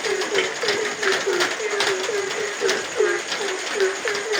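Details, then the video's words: Croaking frog during nighttime rain: about ten short, hollow, low notes in quick succession, slightly uneven spacing, with heavy rain noise and sharp drip taps behind. "suara hujan dan suara kodok di tengah heningnya malam"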